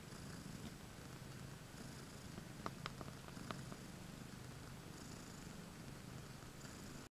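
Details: Soft continuous purring from a shared basket where two mother cats, Io-Khô and Lollypop, lie together with seven kittens, 20 May 2015; a low, even rumble with a few faint clicks midway.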